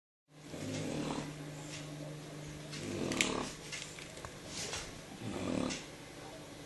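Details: Shar Pei named Jyo snoring while asleep indoors on the evening of 13 November 2014; rough, breathy snores swell around one, three and five and a half seconds over a steady low hum, with a few faint clicks.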